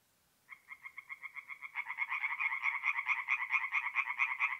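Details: Night chorus of singing tree frogs at a forest pond in North-East Italy in mid-April; one frog begins a quick, even series of nasal croaks, and a second joins after a moment, thickening the rapid pulsing.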